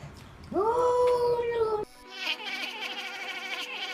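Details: Pet cat letting out a single sustained, level yowl lasting over a second that cuts off abruptly, followed by bright, busy background sound.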